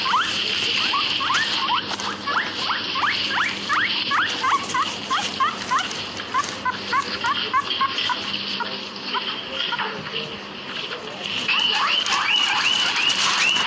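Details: Guinea pig (Cavia porcellus), one of two kept together in a backyard, raised from babies and now about 2 years old, gives rapid runs of short, high, upward-sweeping wheek squeaks over background rustling.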